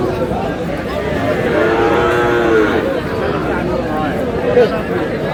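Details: At a weekly cattle market in Aftabganj, Dinajpur district, Bangladesh, 14 February 2026, among Sahiwal bulls for sale: one long, low moo that swells and bends in pitch, then a brief second call near the end, over steady human talk.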